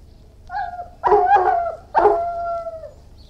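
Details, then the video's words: Irish Wolfhound giving a brief high whine, then two loud, harsh barks less than a second apart, the second trailing into a drawn-out whining tone. "Irish Wolfhound, Howling, Barking & Whining"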